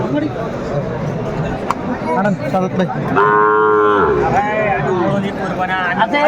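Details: Sahiwal cattle at a crowded market in Noakhali, Bangladesh, where a young bull calf is being bought; one low, steady moo lasting about a second rises over loud chatter and bargaining voices.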